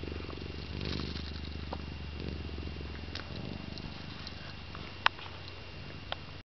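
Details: Mr. Hahn, a pet cat, snoring while asleep: a steady low rumbling breath that swells and eases in slow cycles, with two sharp clicks near the end.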